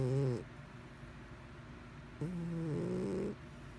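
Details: Mr Whiskers, a pet cat, snoring in his sleep; a short low snore opens, then after a pause a longer drawn-out snore with buzzy harmonic tones that rise slightly before fading.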